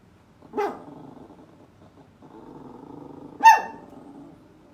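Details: Poodle giving two sharp barks about three seconds apart, with a low, steady growling rumble running between them in a quiet indoor space.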